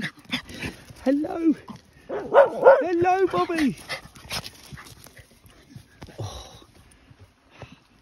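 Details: Border Terrier in a pack of terriers and a Deerhound greeting its owner at a woodland home; high wavering whines rising and falling in quick arcs around two to three seconds, with a person talking over them and rustling nearby.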